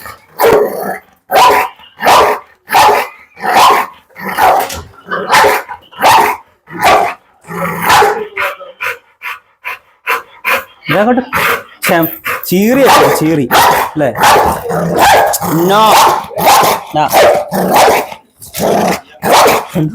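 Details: Pit Bull barking in loud, punchy bursts repeated roughly every 0.7 seconds for about eight seconds, then a person talks over scattered further barks and growly noises.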